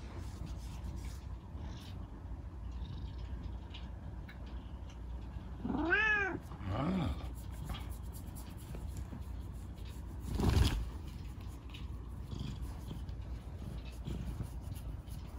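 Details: Chico, a rescued kitten with a lame leg from an accident, indoors at night being scratched by dad before bed. Two short arched meows, the second softer, come in mid-clip over a low room hum, followed later by a single sharp knock.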